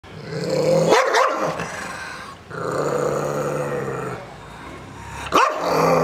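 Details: An angry Rottweiler growls in long, low rumbles broken by sharp, deep barks.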